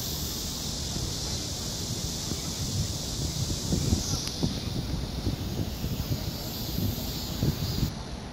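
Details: A cicada sings at close range on a tree, filmed in July 2018 in Seoul, South Korea, on a Samsung Galaxy S9+: an unbroken, shrill drone that shifts slightly in pitch partway through, over continuous low rumble and wind-like noise.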